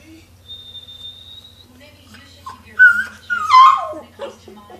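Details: An indoor dog bothered by high-pitched noises. A long high electronic tone sounds first, then the dog answers with a short, bending whimper that slides downward into a brief yelp, with faint background hum.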